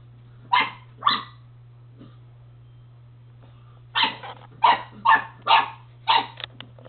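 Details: A dog barking while playing with his ball indoors: two sharp barks, a pause of nearly three seconds, then a quicker run of five or six loud barks, over a steady low electrical hum.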